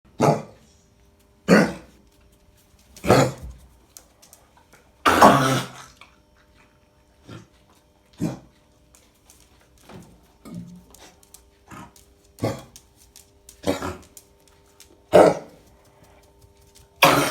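A Cocker Spaniel gives harsh, dry hacking coughs in bursts every second or two, typical of kennel cough.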